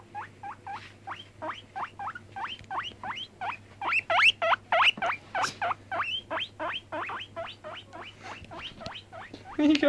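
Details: Pet guinea pig Cracker, aged five months, squeaking steadily on a bed; loud, rising whistled squeaks repeat about three times a second, growing stronger midway, with some rustling and a faint low hum.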